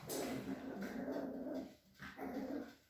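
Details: Cavalier King Charles Spaniel at a breeder's home in a small village in the Sierra de Madrid, Spain; a low, rumbling, harmonic growl held for nearly two seconds, a short pause, then a second shorter growl, quiet overall.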